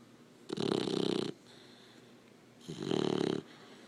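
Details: Labrador Retriever puppy snoring while asleep indoors: two long, rasping, noisy breaths, each lasting under a second and spaced about two seconds apart, with quiet gaps between them.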